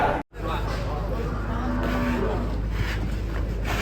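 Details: Angry cow coming down from a truck at an APPSI cattle contest gives a low, drawn-out moo lasting under a second. Loud crowd and outdoor noise nearly bury it, and brief voices can be heard.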